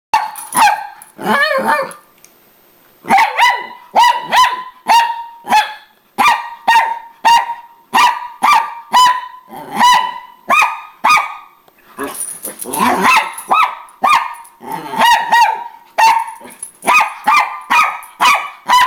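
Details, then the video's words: Angry Miniature Pinscher barking at her sister dog while fighting for attention as the owner comes home; sharp high barks repeated roughly twice a second, with a brief quiet gap early on. "Miniature Pinscher Angry"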